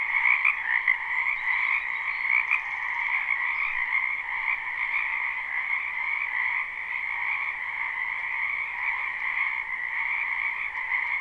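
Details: Many frogs croaking together in a spring wetland, recorded live: a steady, humming chorus of trills, a little louder and choppier during the first three seconds, then settling into an even drone.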